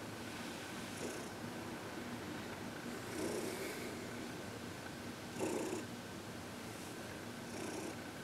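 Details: Heidi, a 14-year-old adopted senior cat, relaxed and happy under massage and reiki in February 2021: quiet rumbling purr with a few stronger breathy surges spaced two to three seconds apart, set against a steady faint hum.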